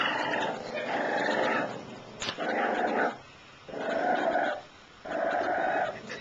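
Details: Shiba Inu puppies: four rough, throaty growls of about a second each, separated by short quiet gaps, mid-pitched and gravelly with a steady buzzing texture.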